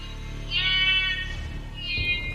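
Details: In the Congo rainforest canopy, a young blue duiker gives two high, piercing alarm screams over steady music. A male mangabey has caught it and taken it up into the treetops while its mother looks on.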